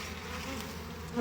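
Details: Honey bees in a hive opened for harvest and expansion make a faint, steady low hum with a droning undertone, quietly rising near the end.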